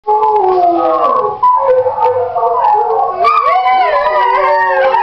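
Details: Three pet greyhounds, a dark brindle, a small fawn and a light brindle, rooing along with played-back hounds: overlapping wavering howls in layered tones, a dip near one and a half seconds, then a louder, higher, bending chorus from about three seconds.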